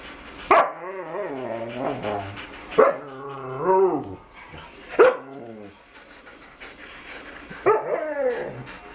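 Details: Bella, a dog wanting to play with Sid, gives four drawn-out, whining yelps spaced about two to three seconds apart. Each starts with a sharp onset and then wavers up and down in pitch, with quiet room sound between the calls.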